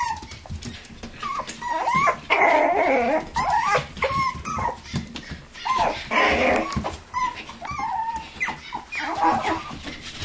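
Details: Toy poodles and Pomapoos playing in an indoor living room play area on 11/9/07, whining insistently in repeated bursts with rough growly yips between, while a woman greets them and music plays.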